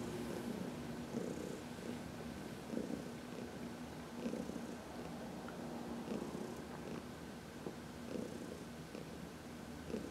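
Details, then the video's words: Heidi, a 14-year-old senior domestic cat adopted from the Humane Society of New York City, purring contentedly while massaged in the sun on March 19, 2021; steady low rumbling purr with rhythmic pulses about every one to two seconds, quiet background. "Heidi — Massage in the Sun"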